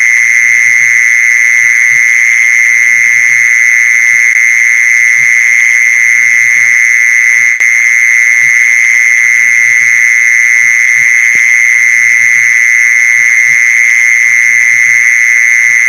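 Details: Mole cricket sound meant for luring mole crickets: a long, constant high-pitched trill without pauses, and a brief click near the middle over faint low background noise.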